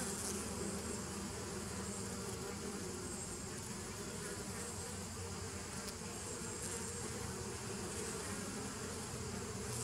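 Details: Humming drone of bees, 27 September 2018, an even, rumbling buzz with a strong low end and soft hiss overhead, continuous without breaks.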